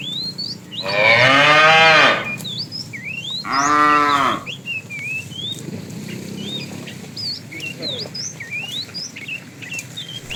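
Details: Fat cow calls toward a female during an afternoon herd drive, two loud harmonic moos about two seconds apart, the second shorter, with many birds chirping and whistling throughout.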